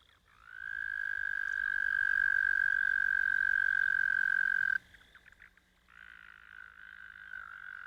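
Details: American toad trilling: a long, level, musical note held for about four seconds that stops abruptly, followed by a short pause and then another quieter, rougher trill starting up.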